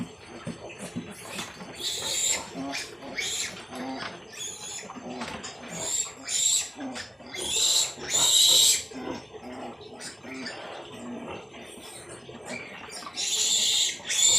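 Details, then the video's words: Piglets from a freshly born litter of 13, handled after birth, give repeated bursts of harsh, noisy squealing every second or two, interspersed with quieter grunts and rustling, while a man chats nearby. "nanganak na Ang inahing nating baboy at pinagkaluoban Tayo Ng 13 biek"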